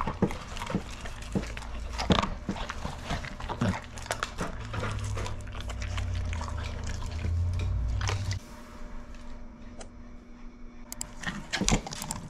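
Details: Pit bull devouring dried shrimp indoors: sharp, crunchy clicks and wet smacking bites repeating irregularly, with a steady low hum partway through and brief quiet pauses between mouthfuls.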